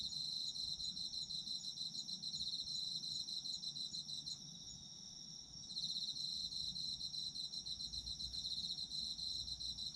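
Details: Autumn insects calling together, high rapid pulsed trills forming a steady ringing chorus, with a short lull just before the middle when one caller stops, then the full chorus returns over faint low rumble.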